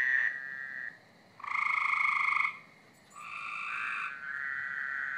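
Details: Frogs calling at night in a backyard on a Friday: long, steady, buzzy trills lasting about a second each, with overlapping callers at slightly different pitches and short quiet gaps between trills.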